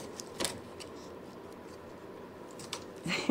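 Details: Quiet indoor room tone with a few sharp clicks and light jangling, no animal voice.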